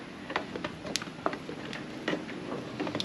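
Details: Scattered sharp ticks and knocks sound against a quiet background, with no animal voice.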